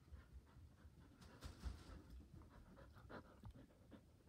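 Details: An eager Border Collie, indoors and wanting to play ball, pants steadily throughout. Soft, rhythmic breathy huffs follow one another closely over a low indoor rumble.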